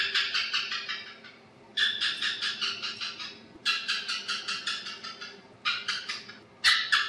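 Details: Chattering of an Asian house gecko, four quick runs of clicking chirps that start loud and fade as they slow, separated by brief pauses, with a steady low background hum.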